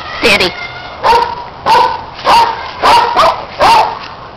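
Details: Playful barking as pet dogs chase a red Kong toy, with neighbour dog Riley chiming in; six loud, rough barks, roughly one every half second, and a person shouting "hey" between them.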